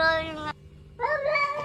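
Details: Two domestic cat meows in a funny-cat compilation: a clear harmonic mew that stops abruptly, then a short pause and a second wavering, slightly rising meow.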